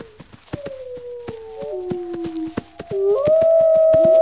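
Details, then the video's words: Wolf howling to inform pack members, a long steady tone that slides downward, then rises into a louder sustained note near the end, over sharp irregular crackling clicks. "Wolves Howling"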